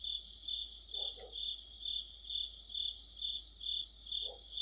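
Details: Crickets with other insects chorusing on an autumn night under a streetlight, a bright high-pitched trill rising and falling in regular pulses, plus two brief lower chirps in the background.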